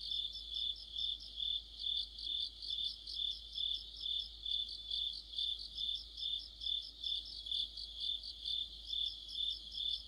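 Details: Evening-style autumn insect orchestra led by crickets: a bright, high, buzzing trill with even throbbing pulses around two per second, many singers blended, steady for the whole stretch.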